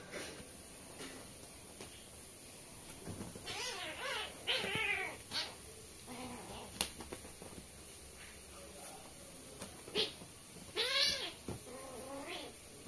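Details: A pair of kittens newly introduced to a family in India at playtime indoors, giving several high, arched meows with stacked harmonics, grouped near four, five and eleven seconds, with soft clicks and room noise between.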